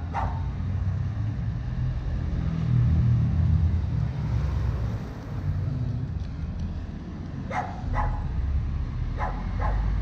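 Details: Capacete, a Chow Chow that just wanted to go pee, lets out a handful of abrupt barks in two quick pairs and a single near the end, set against loud low vehicle noise.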